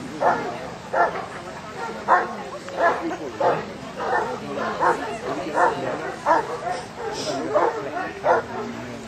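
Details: Newfoundland dog Harry Potter completing Section D of a water test at Lake Bala, Wales, in rough, choppy water; deep barks repeat about every 0.7 seconds, with people talking throughout.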